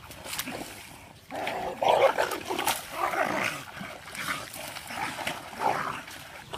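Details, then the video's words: Two dogs fighting: rough snarling and growling bursts come in uneven waves, loudest around the middle, with sharp yelping peaks and people talking in Vietnamese in the background. "Dog vs Dog Dangerous Fight"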